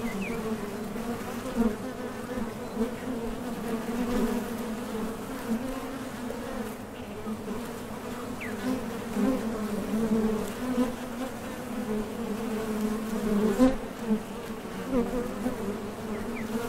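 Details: Honey bees at the entrance of a Top Bar Hive, coming and going while foraging for nectar, their thoracic muscles vibrating; a steady, layered droning hum with a low fundamental and overtones, swelling and fading as bees take off and land.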